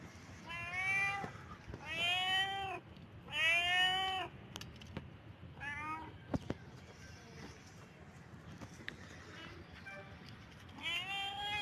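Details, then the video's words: Domestic cat in heat calling: a series of loud, drawn-out harmonic meows, each about a second long and rising then falling, repeated with short gaps, over faint background hiss and occasional clicks. "Cat Heat sound"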